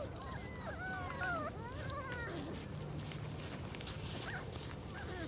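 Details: German Shorthaired Pointer puppies, four weeks old, taken outside for the first time, produce a cluster of goose-like, quavering whines and squeaks early on, overlapping and bending in pitch, then scattered fainter yelps amid background hiss.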